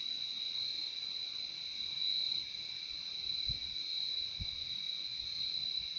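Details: Steady high cricket trilling from many insects, an even ringing drone, interrupted only by two short soft low thumps in the second half.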